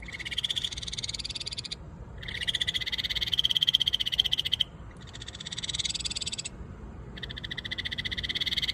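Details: Ryukyu kajika frog (Buergeria japonica) in Okinawa calling in four high, rapidly pulsed trilling bouts, each lasting one to two seconds with brief silent gaps between them, over faint low background hum.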